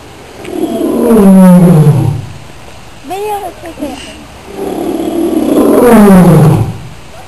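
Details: A zoo lion at Rio Grande Zoo gives two deep, moaning roars that slide downward in pitch, with softer grunts between.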